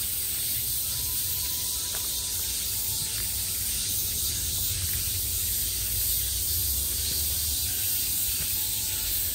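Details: Summer cicada chorus coming from every direction, an even, shimmering high buzz with faint pulsing, sustained without pause, over a soft low background hum and a faint thin tone in places.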